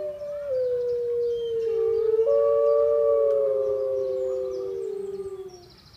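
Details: Captive wolves howling at Artis zoo in Amsterdam on 18 March 2014, several long smooth tonal howls overlapping, gently sliding and stepping in pitch, with higher voices joining.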